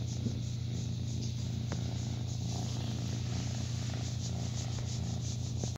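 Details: Foster kitten Lion, around 6 to 8 weeks old, cared for through Cat Rescue Maritimes in New Brunswick, Canada, purring as his belly is rubbed; an unbroken low vibrating drone with regular pulses and a few faint clicks and rubs.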